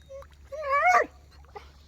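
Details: German Shepherd named Rocky in a village, giving a short rising whine with stacked bright harmonics near one second, a faint yip afterward, quiet background.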